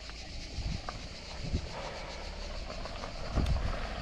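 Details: Low rumbling vehicle or engine noise with faint outdoor background, and no clear animal sound.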